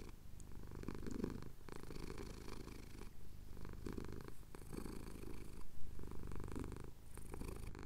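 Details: Sunrise over the Cotswold hills with a male cat purring under a chin scratch, recorded on a Tascam DR-07X; a rhythmic, rumbling low purr in regular breath-length pulses, and occasional soft touching noises close to the microphone.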